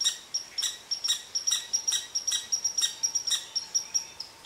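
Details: Red squirrel scolding an Eastern Cottontail rabbit that rests under its favorite tree: sharp, high chips repeated about three to four times a second in an agitated, steady rant.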